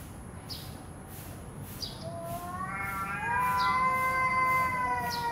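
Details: During a standoff between cats, a growling yowl swells in from quiet and builds into a loud, rich, wavering howl held to the end, with faint ticking sounds throughout.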